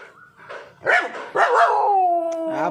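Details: Kombai dog named Vaisu giving a short bark-like yelp, then a drawn-out harmonic whine that slides downward over about a second, with a human voice mixed in.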